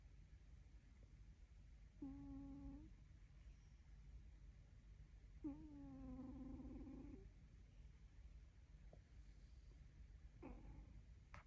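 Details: Well-fed dog asleep and snoring, giving a short humming breath, then a longer, rougher whistled snore, and a brief final one near the end over a steady low background rumble.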